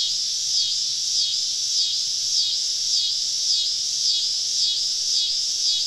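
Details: Cicada chorus on a southern summer evening in the woods, a steady shrill band overlaid by short sharp chirps repeating about every half second, evenly spaced throughout.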